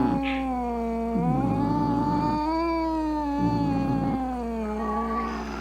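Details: Domestic cat's angry meow, used to drive away rats, opossums and rival cats: one low, drawn-out wavering yowl that swells and sags in pitch, with a brief sharp squeak near the start.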